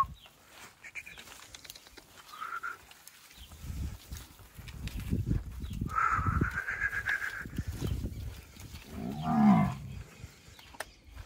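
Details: Guzerá cattle on a farm in Mari, Paraíba, Brazil; rustling and a higher drawn-out whining tone come first, then one loud, low, rounded moo with layered overtones near the end.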